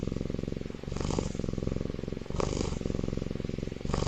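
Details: Young tiger cub asleep in an incubator, loud snoring: a continuous deep, throbbing rumble with three hissing breath bursts about every one and a half seconds.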